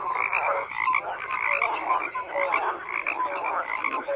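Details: Croaking frogs fill the whole stretch: many callers overlap in a steady rattling wall, and short, clear piping notes stand out at varied pitches.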